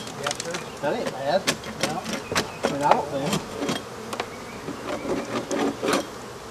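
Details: African honey bees during removal of their hive, with wavering, rising and falling buzzes repeated many times through the clip. Sharp broadband knocks and taps from the work break in between them.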